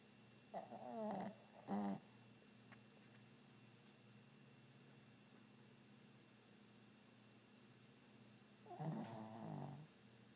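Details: Lazy dog asleep and snoring indoors, giving two quick rattling snorts near the start and a longer rough, throaty snore near the end, with quiet steady hum between.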